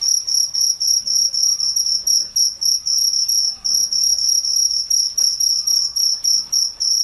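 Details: Crickets at night, a steady high-pitched chirping with a bright overtone, pulsed in quick bursts about four times a second with brief lulls, over faint low background hum.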